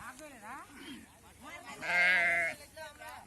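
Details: While sheep are gathered for PPR vaccination and suckling lambs are brought along, a loud, strained, quavering bleat rises over a man's speech. Other faint bleats are heard before it.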